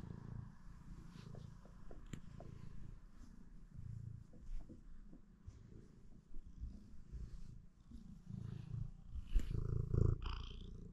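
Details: Domestic cat purring in the morning: a steady low rumbling purr pulsing about four times a second, with a few soft clicks and light handling noises on top.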